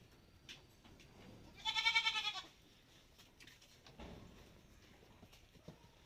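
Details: Malabari goat outdoors on a farm: one short, quavering bleat with a wavering, tremulous pitch, followed by quiet rustles and soft knocks.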